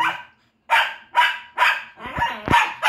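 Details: Pet dog known for its loud voice barks during play with another dog: six forceful, rasping barks about half a second apart, with scuffling underneath the later ones.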